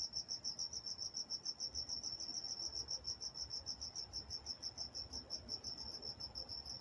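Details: Walnut, California crickets calling at night: crisp, clearly separated high chirps repeated about three times a second in a regular beat, with faint distant rumble beneath.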